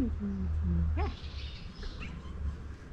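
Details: Two affectionate stray cats living in a crowded alley in Istanbul, competing with each other for attention and love; a low steady rumble runs beneath a brief rising, chirped meow near the middle, with quiet human voices nearby.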